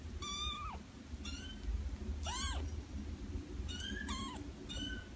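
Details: Quiet kitten meows: five short, high, bowed mews spread across the clip, with the loudest near the middle, over a steady low hum.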